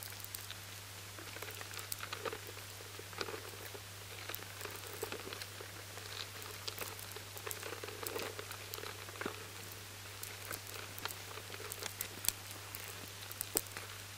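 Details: High-sensitivity recording of lesser grain borers in a batch of stored barley: a dense, irregular crackle of tiny clicks, like rain pattering on a tarmac road.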